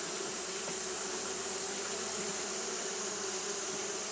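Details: Brief stretch of Japanese honey bees fanning in hot weather, an even buzzing drone centred near 400 with broad high hiss, constant throughout.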